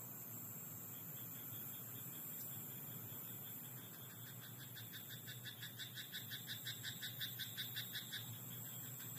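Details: Night-time croaking from a frog in a rice paddy, with a rapid, regular series of rasping pulses building in the second half, close to three per second, against a constant thin high drone and low hum.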